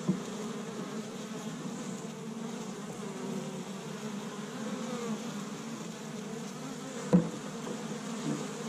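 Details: Many honey bees working an established Michigan hive in spring, first warm day, tree buds giving pollen; continuous low buzzing drone throughout, one sharp close bee pass near the seventh second.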